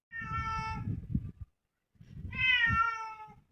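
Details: A cat that came into a home gives two drawn-out meows, the first steady, the second louder and wavering, with a short pause between and low rumbling noise beneath.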